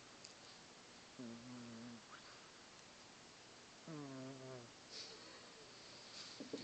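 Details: Piper, a male pet cat, snoring loudly while asleep indoors: two drawn-out, low, rasping harmonic breaths about two and a half seconds apart, each lasting under a second, over quiet room noise.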